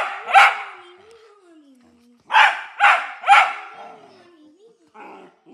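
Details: Domestic dog barking at nothing, one sharp bark followed by a long falling tonal sound, then a quick burst of three rough barks with a trailing tone and a fainter final sound.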